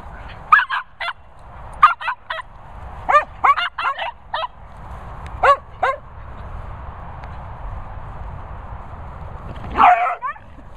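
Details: Daisy, a Cocker Spaniel, gives fellow Cocker Finlay Foxall a telling off: rapid clusters of snappy barks for six seconds, a quiet gap, then one louder, rougher bark at the end.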